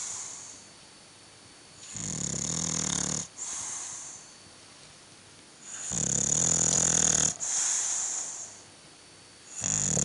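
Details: A bulldog snores in long, rasping, breathy bursts that each last over a second and come about four seconds apart, with a faint steady high hiss in between.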